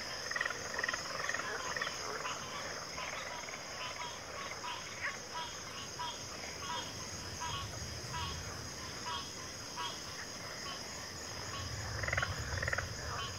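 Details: Frog chorus in a backwater, a softer tangle of overlapping croaks and trills mixed with a continuous high insect drone, with low rumbling noise near the middle and end.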